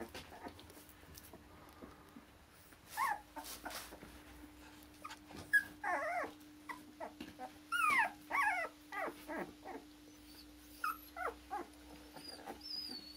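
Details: Akita puppies born 16 November, offspring of a Japan-born Akita named Kotono Go in Hungary, awaiting new owners; a run of high, wavering whimpers and yelps in short bursts, several overlapping, with a steady low hum underneath.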